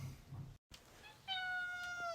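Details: A domestic cat indoors before an outing, giving a long steady meow that slowly falls at the end, after a brief quieter meow, with a person speaking softly just before.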